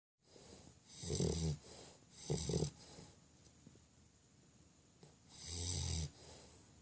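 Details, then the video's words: Five-month-old English Bulldog asleep indoors, snoring loudly: three deep rasping snorts with a low rumble and hissy breath, spaced about two seconds apart, in a quiet room. "English Bulldog snoring"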